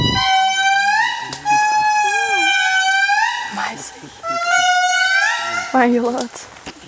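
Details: Indri lemurs calling in Andasibe-Mantadia National Park, Madagascar, in 2016: loud, wailing, horn-like tones in long sustained notes with rich harmonics, gliding and stepping, some rising at the end, overlapping voices in a continuous chorus.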